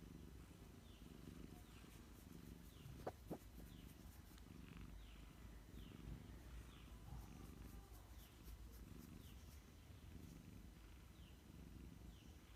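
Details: A pet cat napping in the afternoon purrs in a continuous low, throbbing rumble, while small birds chirp nearby with short downward-sweeping notes repeated every second or so and a brief sharp click around the middle.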